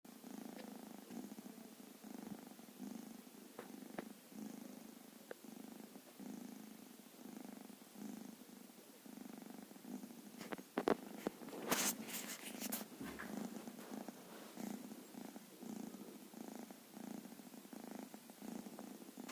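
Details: A sleeping baby cat with white and black fur, lying on a blanket indoors, gives soft rhythmic snoring purrs roughly once a second, with a few brief rustling sounds in the middle.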